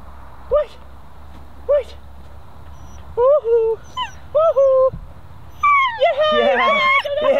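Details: A 10-week-old female German Shepherd puppy in protection training gives high whines. They start as single short whimpers, then come as a quick run of rising-falling cries, and end in excited yelping mixed with people's cheering voices.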